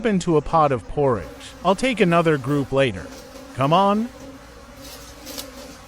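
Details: Wild bees swarming near a late-season forest honey harvest, rapid succession of loud buzzing passes with swooping pitch in the first four seconds, then a quieter steady hum.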